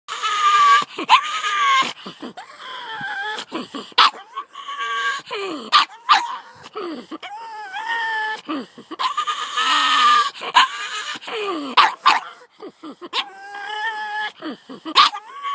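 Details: Pug named Layla barking at two terriers that came down the driveway: sharp broadband barks alternate with drawn-out tonal whining yowls, rising then falling, in rapid irregular bursts over fifteen seconds.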